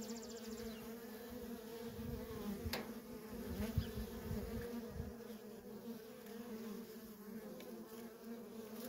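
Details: Constant coming and going of worker honey bees at a feral colony, a dense layered drone with several sharp close flybys and whining passes over a low rumbling hum.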